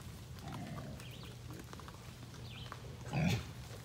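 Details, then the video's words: At feeding time, a big feral boar hog growls at the person filming: low, rumbling grunts that swell into a harsher, louder growl near the end. "Big Boar hog growling at me"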